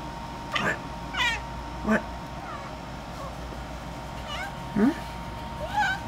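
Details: Housecat fixated on a ceiling bug lets out several chirps and twittering chatter calls, some dipping low into brief mewing tones, irregularly spaced, with a person's voice nearby and room hum.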